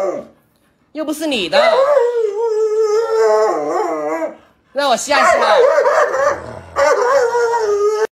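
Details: Pet Alaskan Malamute Luoluo, startled by its owner in a mask, gives drawn-out wavering howls in three bursts separated by short gaps, the pitch sliding up and down with yodel-like bends; faint voices mix in.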